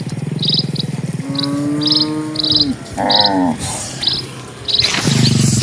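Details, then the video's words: Dozens of cattle are passing along a calm countryside road. A long, steady, low moo lasts over a second, then a shorter call follows, while repeated high bird chirps run above and a brief noisy rustle comes near the end. "SUARA SAPI"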